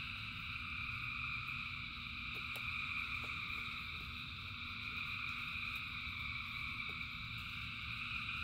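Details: A frog chorus in rain, thousands of frogs singing together in sustained overlapping trills, with a few sharp drip-like clicks over a constant low rumble of rain.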